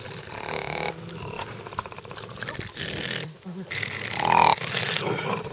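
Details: Seven rescued bat-eared foxes (Otocyon megalotis) in a rehabilitation semi-release camp near Ladismith, South Africa, growl in rough, raspy, rising-and-falling bursts, confronting a dog at the gate during an evening feed in April.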